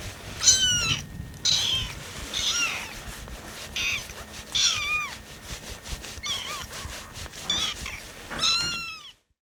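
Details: Rescued kittens, including Lucy, on their 25th day in care, meow impatiently while waiting for their milk to cool. Lucy's calls have a bird-like vibrato. A rapid series of high, thin, down-slurring mews overlaps, several voices in quick succession.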